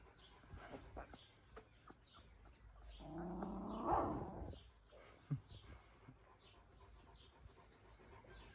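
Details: Georgian Shepherd puppies in Sagarejo, Georgia: one drawn-out, tonal whine-like yelp that rises and then fades midway through, surrounded by soft clicks and handling rustle.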